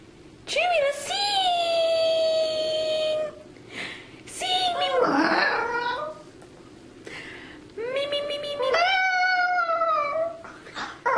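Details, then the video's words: Chuy the Chihuahua, mascot of Irresistiblepets.net, singing: two long, steady, tonal howled notes with a wavering, squealy vocal passage between them and short breaks of quiet. "Chuy the Singing Chihuahua"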